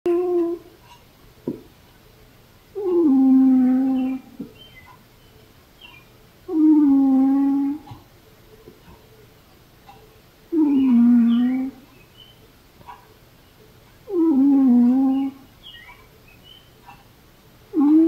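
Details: Velcro, an aging female cat, making noises in her sleep indoors: drawn-out, harmonic moaning sounds about a second long, each sliding downward in pitch, repeated roughly every four seconds with quiet breathing between, in a small quiet room.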